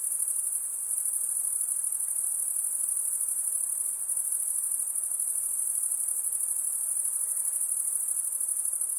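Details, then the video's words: Insects shrill in a constant high-pitched hum with a slight fast flutter, steady in loudness, with no other animals or noises standing out. "Relaxing high pitched INSECT sounds"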